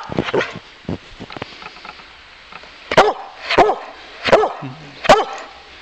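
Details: Bowser, a Boxer dog, playing in snow and barking because he wants to wrestle some more; soft short sounds at first, then four loud, sharp barks spaced under a second apart near the end, with a person speaking nearby.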